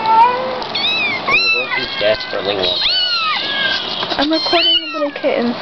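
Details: Kittens in a box meowing in short, arched, overlapping cries, some sharply rising, with a faint human voice mixed in underneath.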